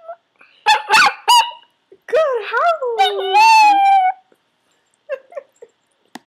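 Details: Yorkshire Terrier trained to howl on command by shaping: short yelps followed by a long wavering, falling howl lasting about two seconds, then a few faint soft notes near the end.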